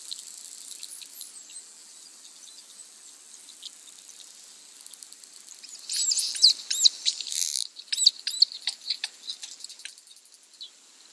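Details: Bottlenose and Atlantic Spotted dolphins playing together in the tide line off Bimini, Bahamas, in June, communicating: a high arching whistle early on, then bursts of rapid squeaky clicks and short chirps over steady hissing water noise.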